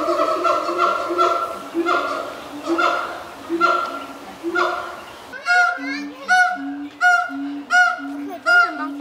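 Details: Pair of captive siamangs calling from their zoo island in a morning chorus, with throat sacs inflating: loud nasal, honking notes repeated about once a second, then sharper, clearer upswept barks in quicker rhythm.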